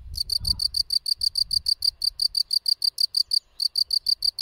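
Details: Gryllus campestris field cricket giving a steady run of about twenty sharp, high chirps at an even, rapid pace, with one brief gap near the end and a soft low rumble at the start.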